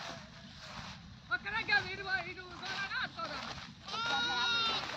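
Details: Goat giving a single drawn-out, steady bleat near the end, preceded by overlapping human voices talking throughout.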